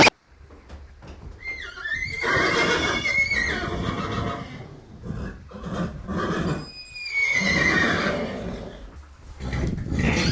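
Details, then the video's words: Horse neighing: two long loud whinnies with shaky, wavering high tones that rise then fall and tremble, the first near the start and the second around the middle, with breathy snorts and low rumbling in between. "Жылқының дауысы / Звуки лошади / ржание коня / голос лошади / Horse sounds"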